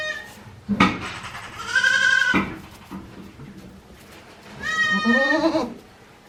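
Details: One-day-old goat kids on a handmade Japanese goat farm, recorded 17 April 2024, let out two long, quavering, high-pitched bleats separated by a quiet pause, with a sharp knock near the start.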